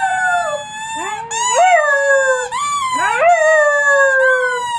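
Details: A three-month-old wolfdog named Covington howls loudly: long, high, slowly falling notes, each starting with a quick upward swoop, three rises in under five seconds.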